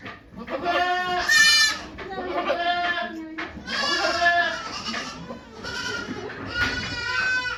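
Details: Recorded at Yoshigake goat farm on 3 May 2023 while Okayu gave birth to two kids, a string of wavering bleats rises and falls, one every second or two, over steady background talk.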